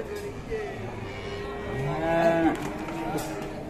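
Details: Fierce cow lowing: a steady harmonic moo that swells and rises slightly near the end, over constant background rumble and faint knocks.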